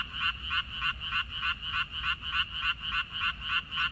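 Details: Frogs calling in a water-parsley field in May 2021 give steady, rattling croaks in clear pulses, roughly three each second, with little else audible besides a low background murmur.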